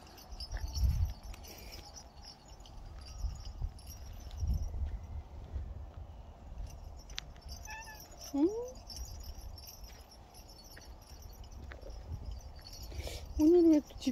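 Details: A pet cat, called the best dog-like cat, gives two short, arched meows with clear harmonics in the second half, each rising then falling. Low rumbling background and faint voices surround the calls.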